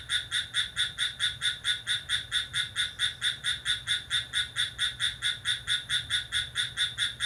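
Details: ['Cricket calling briskly at midnight on July 6, giving a steady stream of piercing, high-pitched chirps at an even pace of a little over two per second against a quiet background.']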